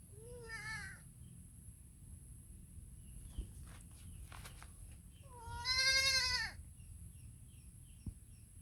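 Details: Baby goat calling its mother with two wavering, high bleats, a short one near the start and a longer, louder, quavering one later, over a faint steady hiss and a few soft clicks.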